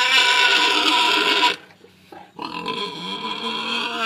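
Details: Tamworth sow, recently weaned from her six-week-old piglets and penned with a boar, complaining loudly in a paddock: a harsh, noisy squealing grunt for about a second and a half, a brief pause, then more rough, buzzy complaining.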